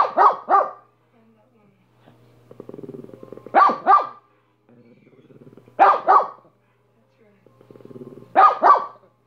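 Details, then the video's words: Repeated double barks from the dog Minnie, about every two to three seconds, with a quiet low growl rumbling in the gaps. "Minnie barking for 5 minutes"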